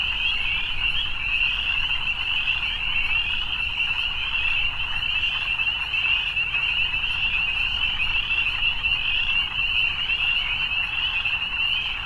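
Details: Frogs calling in the evening, a dense continuous high trilling chorus that runs unbroken throughout with steady loudness, a faint low rumble beneath.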